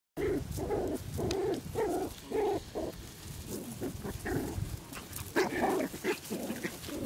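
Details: Six-week-old Poodle puppies, harlequin and black-and-tan, in a garden in Güttingen, Switzerland; short whiny yelps and whimpers overlap in quick bursts, several pups calling together with faint background rustle.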